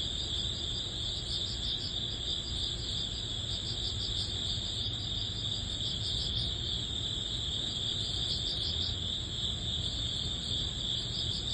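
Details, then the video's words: Crickets singing in early autumn as summer ends, a dense chorus of quick repeated chirps roughly three per second above a steady high whine, low rumbling noise running underneath throughout. "여름의 끝자락 초가을 풀벌레_ 백색소음_ Cricket sound"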